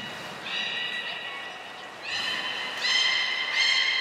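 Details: During pool transfer and training at Port of Nagoya Public Aquarium, Japan, 23 February 2021, captive belugas Hodoi, Taanya and Mirai give four short, bright harmonic whistles in quick succession, each holding level before the next begins.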